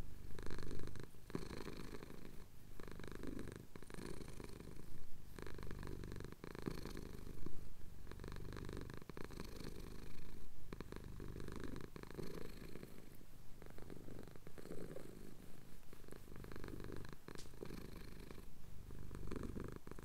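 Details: Close, low purring from a male cat enjoying a chin scratch at dawn in the Cotswold hills; a soft continuous rumble pulsing with in and out breaths, quieter and gentle over twenty seconds.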